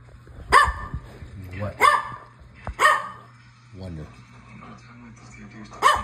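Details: Standard poodle barking in single loud, sharp barks spaced one to one and a half seconds apart, while a person repeatedly says "what" between them in a quiet room.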